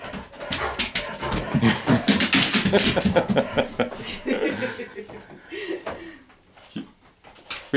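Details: A nine-year-old Great Pyrenees acting like a puppy, seeming to feel better: a run of excited whimpers, yips and short barks for about five seconds, then quieter, with a person talking to the dogs.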